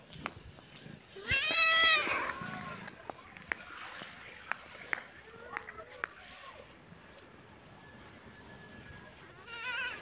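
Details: Baby kitten and cat playing together in a happy mood: one loud, high, harmonic meow rising then falling, followed by soft scattered clicks and small sounds, then a second high meow at the end.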